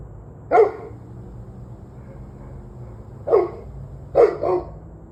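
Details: Dog barking on the evening of 11/21/23 at 7:06 pm: a single sharp bark, a long pause, then another bark followed quickly by a doubled bark, over a low steady background hum.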